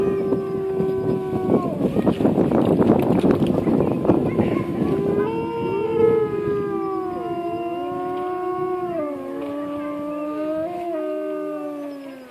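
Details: White wolf howling in a wolf park at Mertzig, recorded during a walk: a steady held howl opens, then a noisy stretch, then several long smooth howls overlap from different voices, some sliding gently downward near the end.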